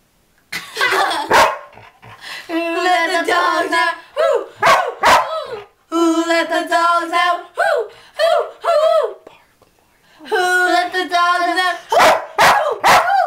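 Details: Sheepdog singing to "Who Let the Dogs Out" at 2 a.m., very loud: sustained steady howls alternating with short sharp bursts and wavering dips, in several long phrases separated by pauses.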